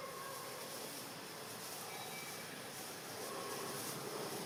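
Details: A continuous broadband rushing noise fills the recording, resembling heavy rain or a train in motion. No animal calls stand out against it.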